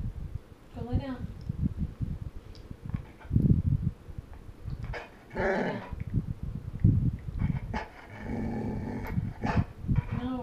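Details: Indoors at bedtime, a female Golden Retriever argues back, wanting to visit her chickens; short wavering, arched whine-moans open and close the passage, with a low grumble and a woman repeatedly telling her to go lie down.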